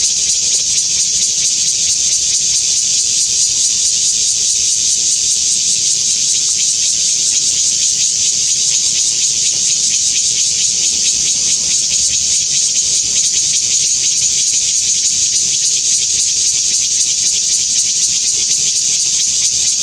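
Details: Taiwan bear cicada (Cryptotympana takasagona) singing in bright sunshine at Xinshan Reservoir, Keelung, Taiwan, 26 August 2021; a loud, dense, unbroken buzzing hiss holds steady at full strength for twenty seconds without any pause or change in rhythm.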